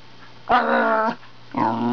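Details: Wire Fox Terrier, a male pet indoors, talking to his owner at the computer; two moaning, whiny vocal bursts, the first about half a second long and wavering, the second starting after a short gap.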